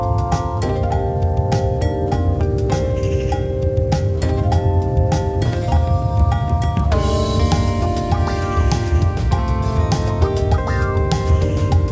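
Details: Upbeat instrumental music with plucked melody and steady drums plays throughout, with no animal sounds.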